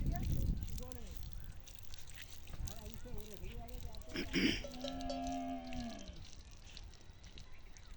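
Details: Camel crying loudly in a desert setting, a deep rumbling groan with harmonic bands that swells into a long moaning cry, preceded by low gurgling and broken, wavering vocal sounds.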